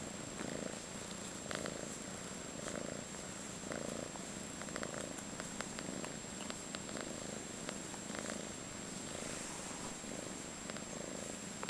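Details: Five-month-old calico female kitten, fostered in San Carlos, California, purring continuously indoors; low rumbling pulses repeat about once a second, with scattered soft clicks and rustles over the steady drone.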